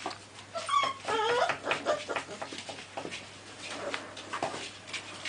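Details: American Staffordshire Terrier puppies from an FCI kennel whimpering indoors: a short burst of thin, high, wavering whines near the start, then scattered soft yips and faint rustling in a quiet room.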